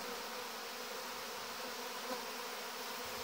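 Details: Mass orientation flight of young honey bees in August, 17 August 2019: a continuous, even droning buzz from many bees flying together, with a faint click near the end.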